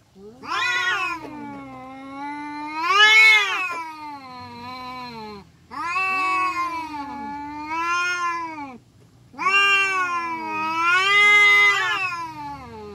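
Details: Village cats in a fight, one howling in three long, loud bouts, each a wavering harmonic wail that climbs to a strained peak and sinks again, separated by brief gaps.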